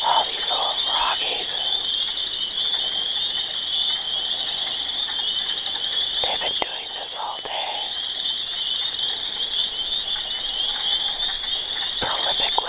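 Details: A constant shrill chorus of mating frogs, said to call this loudly all day and all night, fills the air. Scattered lower bubbling notes break through at intervals.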